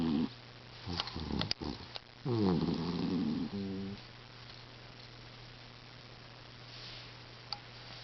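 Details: Pet cat asleep indoors, snoring: a few soft, rough, buzzing breaths in the first four seconds, the longest drawn out for over a second, then near silence over a steady low hum.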